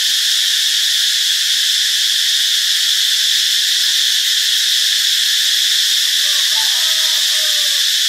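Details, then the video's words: Cicada song in Ubon Ratchathani, Thailand, on Friday, March 26: a constant loud, high-pitched buzz throughout, with faint brief whistly notes from another caller late in the passage. "เสียงจักจั่น (Cicadidae)"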